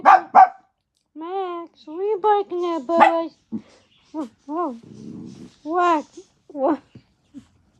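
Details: Max, a pet dog, calling for daddy with a run of high, wavering whines and yelps rising and falling, a few sharp barks at the start, and a brief scratchy rustle midway.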